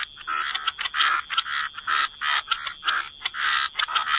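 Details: A chorus of frogs at the water's edge in wetlands, giving short raspy croaks in quick bursts of roughly half a second, repeated steadily with small gaps between them.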